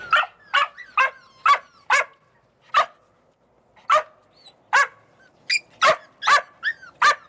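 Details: Australian Cattle Dog puppies, Slovakia: loud, short, high-pitched barks come in quick clusters with a gap around three seconds, with a few squeaky whines tucked between them.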